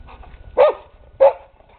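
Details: Dog giving two short, sharp barks about 0.6 seconds apart, each with a quick downward bend, over low background rumble.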